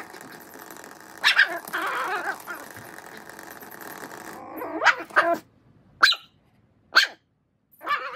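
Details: Miniature Schnauzer excited over a toy mouse gives a sharp bark early, then after a stretch of noisy rustling lets out a quick run of clipped, harmonic-rich yaps spaced about a second apart, with silent gaps between.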